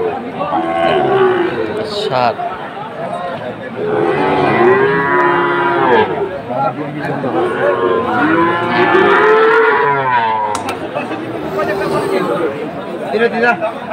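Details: Sahiwal calves at a cattle market in Chattogram, Bangladesh: long, drawn-out lowing moos overlap one after another, harmonic and wavering, with crowd chatter in the background.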